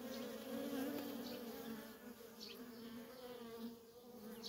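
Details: Nonstop flight traffic of worker honey bees at a feral colony: a dense, even hum layered with passing buzzes, the drone swelling slightly then easing.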